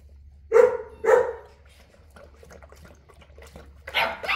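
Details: Boerboel, or South African Mastiff, one of a pair named Enzo and Diva living in Egypt: two deep, loud barks half a second apart, a stretch of quiet rustling, then a rougher double burst near the end.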